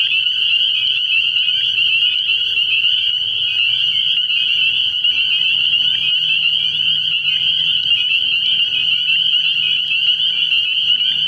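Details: Early-year night chorus of spring peepers at a frog pond: countless high, sharp peeps overlapping into a continuous ringing drone, with faint low-pitched tones murmuring in the background.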